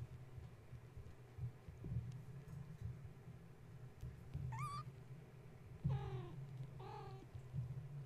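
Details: Kittens of a mother cat named Gaia, woken at bedtime when a space heater was plugged in and now playing and climbing the kennel and fence. Three clear, high, rising mews, one sharp and two paired, come late over a steady low hum.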